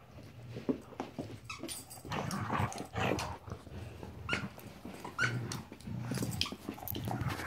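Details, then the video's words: Marvel, a 14-week-old puppy, playing: low, rumbling growls come in short bursts, mixed with frequent sharp clicks, scuffles and knocking sounds of rough play. "14 week old Marvel playing"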